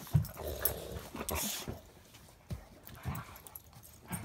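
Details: A Border Collie cross and a Rottweiler playing indoors give short, gruff barks and growly bursts while a person talks softly.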